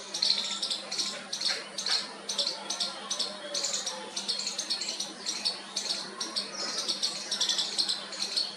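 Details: Young squirrel calling for its mother in its first attempt: a long series of high, scratchy squeaks in rapid uneven pulses. There is soft murmuring in the background and a faint low hum.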